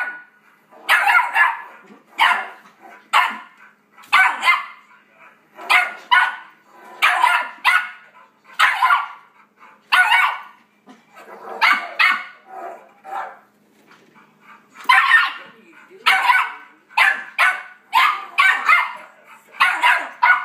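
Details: Four-month-old Yorkshire Terrier puppy indoors, barking excitedly at dogs barking from a computer; sharp high yips repeated roughly every second in uneven bursts, with a brief pause near the middle before the rapid barking resumes.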